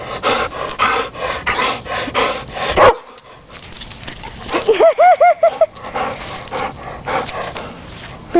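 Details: A dog named Brusier, described as very protective, playing in a backyard while an orange is thrown for it: quick rhythmic panting, a pause, then four short arched whining yelps in a row, more panting, and a person talking nearby.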